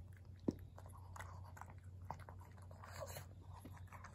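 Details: Maria, a senior pug, eating treats on 14 August 2021: faint, irregular crunchy clicks and soft biting snaps scattered through the clip, over a steady low hum and quiet indoor background.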